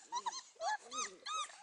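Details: Four-week-old Beauceron puppies in a kennel whimper and whine in a series of wavering, rising-and-falling cries, with a man's voice calling them in Hungarian.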